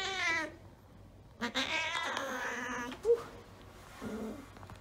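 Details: Female Siamese cat, a former stray found in Kingston and described as vocal and people-needy, meowing indoors while up for adoption: a long harmonic meow, then a louder drawn-out one, with a woman calling her and speaking over it.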